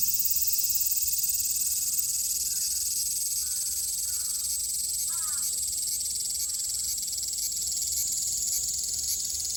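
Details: ['Cicada song from Japan in summer 2022: a steady piercing high-pitched whine with fine rapid pulsing, accompanied by a few short downward bird chirps early on.']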